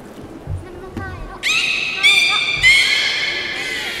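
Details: Beluga at the Port of Nagoya Public Aquarium, public training on 18 July 2016 at 13:30: after low murmuring, three loud, high harmonic squealing whistles follow in quick succession.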